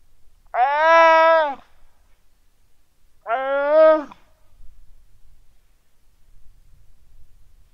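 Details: Weddell seal pup lying on the ice shelf at Terre Adélie, Antarctica, calling its mother on a quiet, sunny afternoon, 15 November 2009 at 17:30, recorded with a Rode NT4. Two clear, rich, voice-like wails, each about a second long, spaced two seconds apart.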